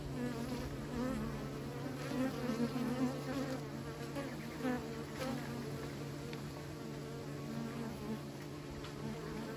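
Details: Bees kept by beekeepers: a dense, continuous droning hum with steady low tones and many overlapping wingbeat streaks, loud throughout.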